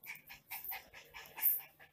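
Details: Miniature Pinscher named Lilo, a naughty pet dog indoors, gives a run of short, high, whining yips, roughly four or five per second, with brief gaps between bursts.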